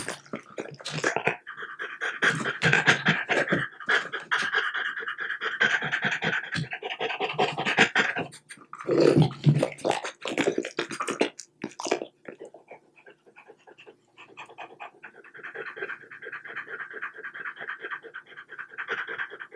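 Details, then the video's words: French Bulldog eating small cubes of boiled, unseasoned chicken breast indoors. Wet chewing and smacking fill the first twelve seconds, then give way to steady, rapid panting, about two breaths a second, continuing to the end. "Dog ASMR: French Bulldog Eating Chicken Bites"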